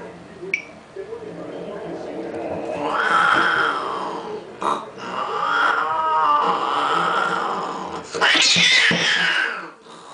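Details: Cats fighting over a car: long, wavering, drawn-out yowls rising and falling in pitch, with brief gaps and a sharp hiss-like burst near the end.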